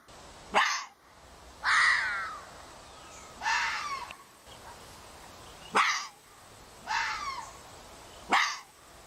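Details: Red fox giving six hoarse, harsh barking cries in about nine seconds, each short and raspy with some sweeping downward, spaced one to two and a half seconds apart over a quiet background.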